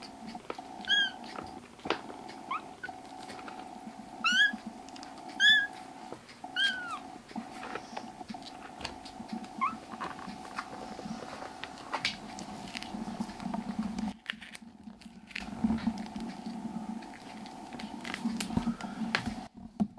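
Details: A burst of repeated high, wavering kitten mews from rescued foster kittens at home, several in quick succession during the first seven seconds, then only rustling and a steady low drone for the rest.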